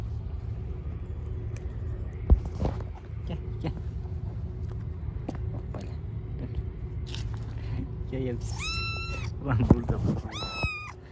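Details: Street-living stray cats and kittens at feeding time: after several seconds of low rumble, clicks and Turkish speech, two short high meows come near the end, each bending up then down.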